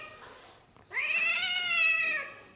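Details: Pet cat or kitten indoors, just caught and held by a man: after a quiet start, one long bright harmonic meow rising sharply then held steady for over a second before fading, Hindi speech around it.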